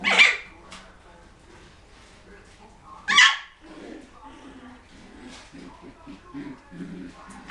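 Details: Poodle puppies indoors give two sharp, high yelps, one at the start and another about three seconds later, followed by quieter murmuring human voices in a small room.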